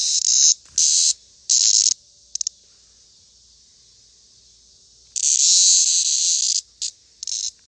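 A cicada gives loud, harsh bursts of high buzzing, broken by short pauses.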